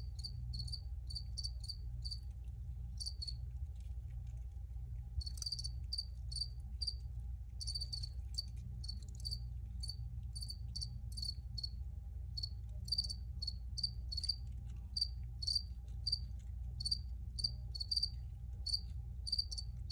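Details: Crickets chirp steadily through twenty seconds, with bright high pulses clustered in irregular groups and a brief lull near five seconds, all over a continuous low droning background hum.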